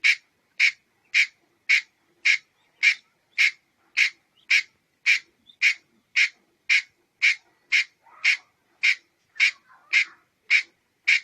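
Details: A long series of about twenty-one sharp, rasping chucks from a red-headed squirrel, delivered roughly twice per second with a very regular rhythm; faint minor sounds in between.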